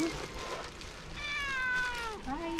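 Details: Hungry stray cat begging for food by a seaside road in Istanbul, a tuxedo or tabby of a pair: one long, level meow that bends down at the end, followed by a brief second call, with faint traffic-like background.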